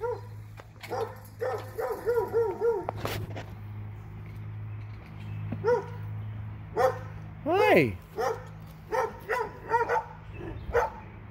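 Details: Two dogs in Alabama yap in short, high, arched barks, with bursts of rapid yips and quieter gaps. One sharp, sliding yelp stands out, and a low steady hum runs underneath throughout.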